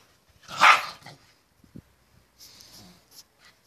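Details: A small dog mating with a big dog gives one short, loud, harsh bark-like burst near the start. Faint rustles and soft scrapes follow, with quiet hissy noise later.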